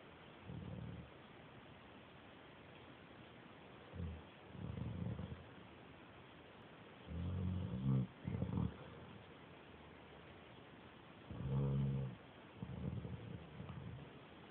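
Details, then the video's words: A sleeping pet dog snoring like a little pig, recorded on an Android phone: low, rumbling, harmonic snores come in irregular bursts, some doubled, with quiet gaps of a few seconds between breaths. "My mom's dog snores like a little pig"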